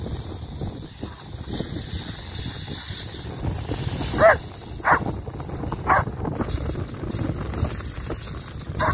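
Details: German Shepherd called MannyMoo, excited during a spring beach walk with fetch in the UK on 29 March 2021. About five short, sharp barks come in bursts over roughly nine seconds against steady roaring wind.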